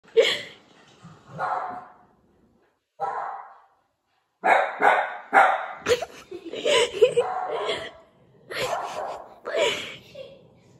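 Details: A Cavalier King Charles spaniel, reacting to the sound of barking, gives a string of sharp, fairly high barks in uneven bursts.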